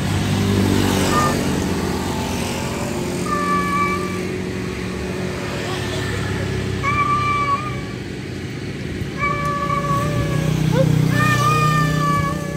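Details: Male cat calling to a wild female: four drawn-out, level meows spaced a few seconds apart, each with bright stacked overtones, over a steady roar of road traffic with passing vehicles.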